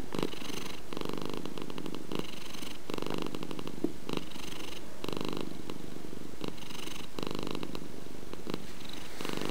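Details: Domestic cat purring: a steady low rumble pulsing in even in-and-out cycles roughly every second, close and continuous throughout.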